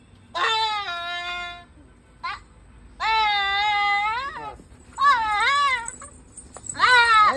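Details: Goat bleating repeatedly: four loud, drawn-out, quavering cries, each roughly a second long with a wobbling pitch and a short gap between, plus a faint brief squeak in between, indoors.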